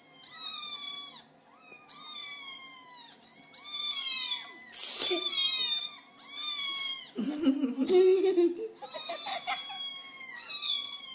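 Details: Kitten described as a screamer, meowing to get attention indoors: a rapid series of high, strained meows, several each few seconds, with a sharp rustle and a person's low voice mixed in midway.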